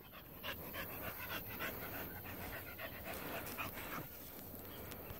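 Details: Female Pit Bull dog panting outdoors after catching a rabbit and carrying it back; fast, uneven breathy huffs several times a second, continuous through the recording.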